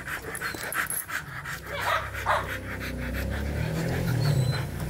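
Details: Mating Rottweiler panting in fast, breathy bursts over a steady low mechanical hum, with a brief whimper partway through.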